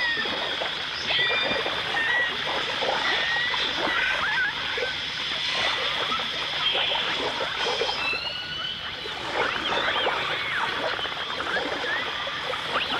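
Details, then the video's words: Dolphins, recorded with orcas in 1989 stereo: short chirping whistles and brief upsweeps rise from a constant high tonal hum, accompanied throughout by crackling clicks and splashy underwater noise. "The Enchanting Sounds Of Dolphin Song (Dolphins & Orcas)"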